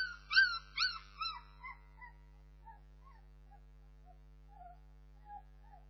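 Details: Bernese Mountain Dog puppies open with three loud, shrill yelping whines, then fade into soft, thin, scattered squeaks and whimpers, a faint low hum running throughout.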